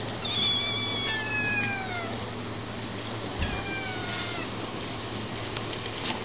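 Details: Two drawn-out, downward-sliding meows about three seconds apart from eleven-week-old kittens Tiger and Ash, each bright and harmonic-rich, against a low steady hum and a faint thump.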